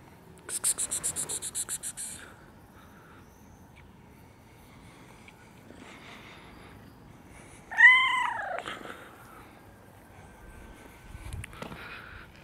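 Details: Kittens, one ginger and one gray: a short run of rapid high chirps, then a clear rising-falling meow, a faint later meow, over a quiet room.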